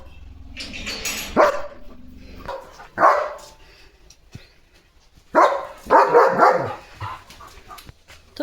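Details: German Shepherd on evening guard duty at a farm, barking to protect his area: a few loud, harsh barks in short bursts separated by pauses, with quieter background noise between.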